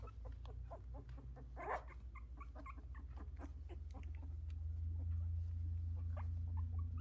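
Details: Newborn Havanese litter of four, sixteen days old, walking and squirming in their whelping box. Rapid little whimpers and squeaks run almost continuously, with one longer cry early on, above a strong constant low droning hum.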